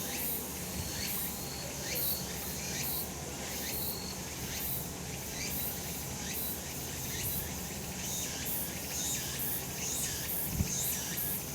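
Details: Summer mountain cicadas in a sunny spot, a continuous shrill buzzing chorus broken into rhythmic surges roughly every second, with a faint low background hum and one brief knock near the end.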